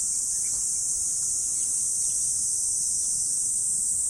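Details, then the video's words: An unbroken high shrill insect drone on an autumn morning, constant in level, with only faint soft chirps beneath it. "Morning Insect Sound Effect"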